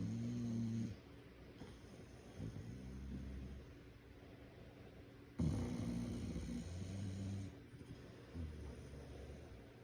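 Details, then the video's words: A sleeping English bulldog snores loudly like a human, with deep rumbling breaths rising and falling in slow cycles. "My English bulldog Draco sleeps and snores like a human"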